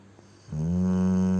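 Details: Cane Corso named Ponchik sleeping and snoring heavily: a single loud, low, droning snore with strong harmonics begins halfway through and holds steady to the end.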